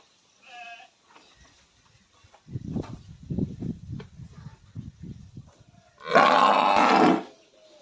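A buffalo makes a series of low, pulsing grunts at an uneven pace. It ends with a single loud, harsh bellow lasting about a second, and a brief higher note is heard at the start.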